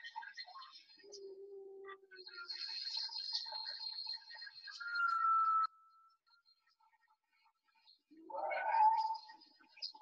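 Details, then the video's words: A humpback whale song from the Salish Sea, British Columbia, sung by a male, since only males sing: a low drawn-out moan, a smooth sustained tone, then a rising, squealing upsweep. "So here's a little humpback whale song for you."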